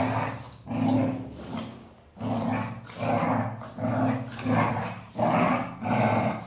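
A Golden Retriever makes low, drawn-out growly groans in repeated bursts.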